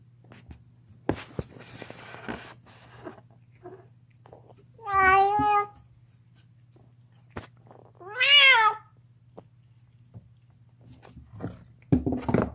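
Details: Deaf pet cat gnawing a bone indoors, letting out two strained, wavering yowls, the second rising higher and harsher, among scattered clicks and crunching chewing sounds.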